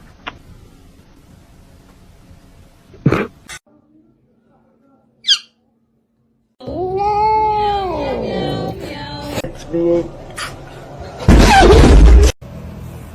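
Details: A cat gives a single long arching meow, rising then falling over about a second, followed by softer short sounds and then a loud burst of broadband noise near the end.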